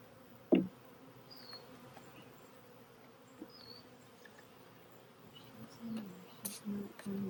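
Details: Honey bees at a hive being re-queened from a hive split, with a new queen in a cage. A low, steady hum runs throughout, broken by a sharp knock early on and a few louder buzzing swells near the end.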